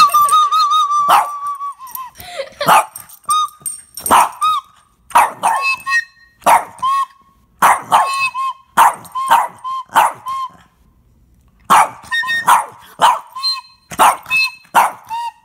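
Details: Boston Terrier barking in reaction to flute playing: a long series of short, sharp barks and yips, roughly two per second in clusters with brief pauses, mixed with sustained high flute tones.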